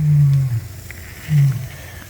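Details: African lion in a zoo enclosure, out of sight, roaring: two deep, low, drawn-out groans about a second apart, with faint crowd murmur in the background.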